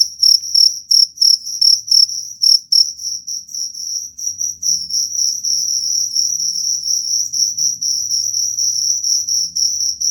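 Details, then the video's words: Cricket call used to drive away rats: separate shrill chirps for the first few seconds, then merging into an almost continuous high trill with slight pulsing, above a soft low rumble. "Suara jangkrik pengusir tikus"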